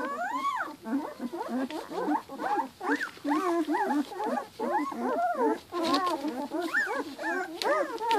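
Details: A litter of two-week-old Giant Schnauzer puppies whimpers and squeaks almost nonstop. Overlapping short, arched whines tumble over one another at an uneven, rapid pace, roughly two or three per second.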